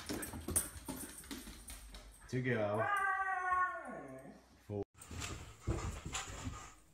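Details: Siberian Husky giving a drawn-out, howl-like vocal of about two seconds that rises, dips low and climbs again in a rich harmonic tone, with people talking before and after indoors.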